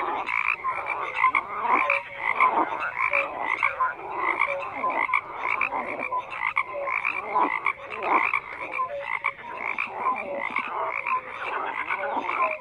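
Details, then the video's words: Dense frog chorus of many overlapping croaks, pulsed bursts between mid and upper pitch with short tonal notes, calling continuously with no pause. "FROGS CROAKING"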